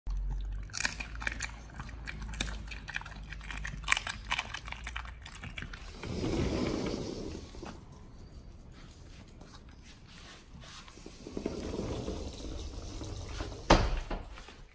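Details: Pit Bull named nomyen on a raw-feeding diet, eating a raw whole Thai duck for the first time indoors: irregular wet crunching and bone-cracking bites, sharp snaps near the start and end, with two longer bouts of heavier chewing in the middle.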